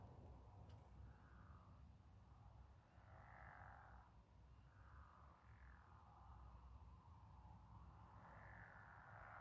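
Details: Massed frog or toad trilling under a moon reflection, rasping pulses surging in repeated swells, overlapping voices with a low background rumble throughout.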